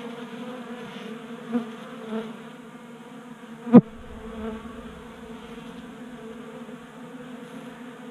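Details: Honey bees feeding at a 3D-printed tabletop feeder in a Colorado garage during a warm January spell. A steady, low droning hum with layered overtones runs throughout, broken near the middle by one sharp click.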